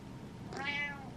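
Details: Impatient indoor cat gives a single brief, high meow that rises and falls, heard faintly over steady room hum.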